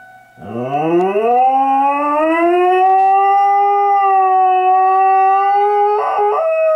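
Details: Rookie, a pet dog, howling at an air raid siren: one long howl that starts low, slides steadily upward and holds a high, sustained pitch, with the siren's steady tone droning faintly underneath.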